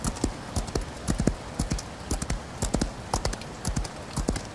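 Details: Galloping horse in rainy weather: clusters of crisp hoof strikes land in a steady triple-beat pattern, about two groups a second, over a light background patter of rain.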